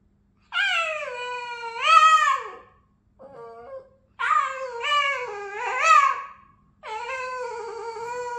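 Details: Vocal Boston terrier singing indoors: three drawn-out, wavering howls with rich harmonics, each swelling and bending upward in pitch near its end, separated by short pauses, with a softer brief whine between the first two.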